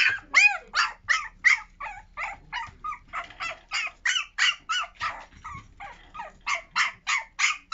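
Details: Newborn puppy in a litter, during the start of toilet training, giving rapid high-pitched yips and squeaky barks repeated almost three times a second, some with wavering whimper-like tones.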